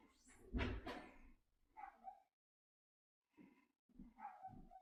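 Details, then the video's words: Dog giving one loud, rough, broadband bark-like burst, followed after a pause by several short tonal whining yelps in irregular bursts. "dogs making noise"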